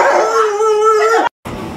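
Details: Pet Alaskan Malamute Luoluo at home gives a sustained, steady, tonal howl lasting just over a second, with a slight rise at the end before it cuts off abruptly.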